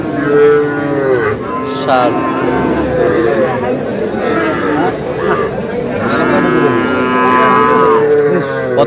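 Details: Sahiwal bull calf bought at a cattle market in Chattogram, Bangladesh, giving repeated drawn-out moos with a harmonic-rich tone, over busy market chatter and men bargaining.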